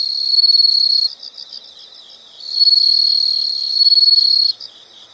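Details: Insects calling outdoors: a bright continuous high trill for one second, a pause filled with soft rapid pulses, then a longer loud trill of about two seconds before fading back to quiet pulsing.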